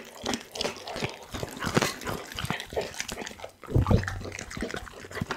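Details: A pit bull called Doggy devouring a whole chicken, recorded on an Insta360 ONE R: heavier, wetter squelching bites with deep thuds, a short pause, then a loud burst of slurping crunches.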